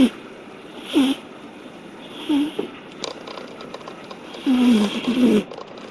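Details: Odd-eyed cat sound asleep, snoring: short nasal snores with a low, curving whistled tone, coming in bursts roughly every one to two seconds. The last pair of snores runs close together, with quiet breathing between the bursts.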